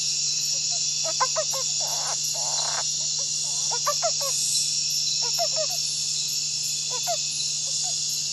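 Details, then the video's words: A male Flat-headed Bromeliad Treefrog (Osteocephalus planiceps), filmed at Jatun Sacha Biological Station in 1999, gives short bursts of rasping, stacked notes over a loud insect chorus. "Flat-headed Bromeliad Treefrog, Osteocephalus planiceps, male calling"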